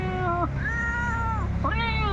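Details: Cat answering a person's cat-like call with three drawn-out meows in a row, each a level, tonal wail that bends down at the end, the last one rising in again, steady low rumble underneath.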